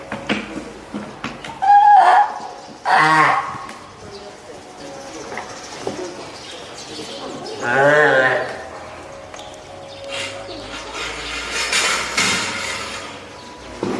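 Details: Hand-reared female spotted seal pup at Oga Aquarium, Japan, 9 May 2017, born 19 April, calling for the keeper: a few loud, wavering bleats spaced apart amid splashing and indoor background noise.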